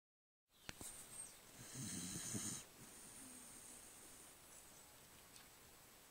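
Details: Cocker spaniel snoring: one loud, rough, breathy snore burst lasting under a second, followed by quieter steady breathing noise and a faint high hiss.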